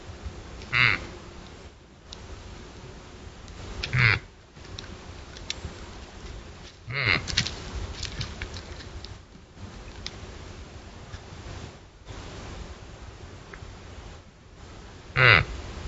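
A doe gives short, harsh, nasal calls at intervals of about three seconds over steady background hiss.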